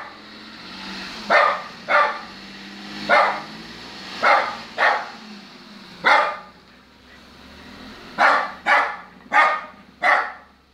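A Lhasa Apso gives sharp, high barks in pairs and short bursts, asking to get into the car.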